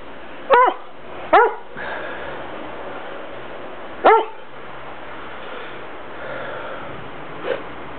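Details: English Setter twins barking in a garden in Bath on a morning of 29 October 2006: three sharp, loud barks, two close together then one after a gap, and a faint fourth, with people talking softly.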